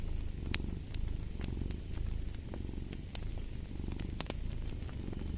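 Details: Domestic cat purring steadily in a low, rhythmic rumble with inhale-exhale swells, while sharp crackles and pops from a fireplace burst over it.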